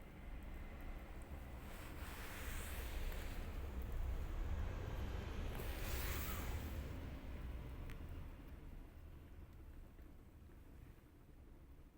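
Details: Steady low rumble of wind and distant traffic swells and fades, with faint hiss across the upper range and no animal voices.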